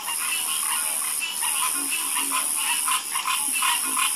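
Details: Frogs in chorus, rapid overlapping croaks of roughly two to three per second, mid-pitched with occasional deeper notes, set against a constant high whine.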